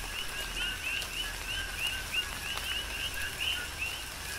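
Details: Coqui frogs on the Big Island, Hawaii, calling in tropical rain. Distinct short rising chirps sound about three times a second above a steady humming chorus, with light raindrop ticks behind.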